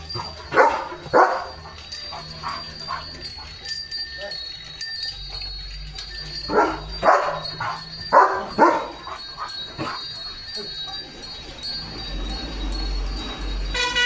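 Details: Pet German Shepherd Leo barks at the coming rain: scattered single and paired barks across the stretch, mixed with a person's voice, steady music tones and a low hum near the end.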